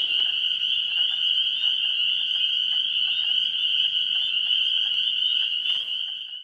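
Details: Pre-spring frog chorus at a vernal pool on 17 March 2016, a continuous high-pitched ringing trill from many callers, pulsing faintly underneath, then fading at the very end.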